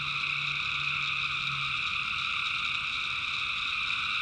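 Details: Night chorus of tree frogs from the North Carolina backwoods, personally recorded: continuous, steady high-pitched trilling stacked in layers without pause, over a soft low drone in the first half.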